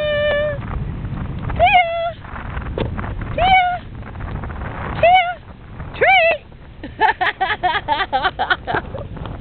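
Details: On a beach, an English Bulldog that has been ignoring her owner until called for a treat gives high, drawn-out whining calls, then a quick run of short yelping notes.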